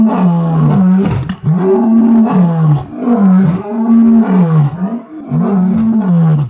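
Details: Lions at Londolozi: an older Birmingham male and a female, both well fed, trade gentle contact calls after hearing distant pride lions roaring, then roar together in deep, drawn-out moaning bellows that rise and fall in rhythm.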